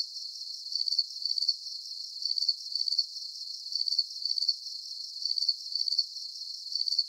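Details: High, thin cricket chirps made of rapid pulses, grouped into even bursts that repeat about every half second without pause; no other animals or voices.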